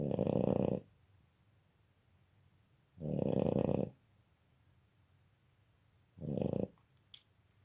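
A Boston Terrier snores in loud, rumbling breaths, each lasting under a second and coming about every three seconds.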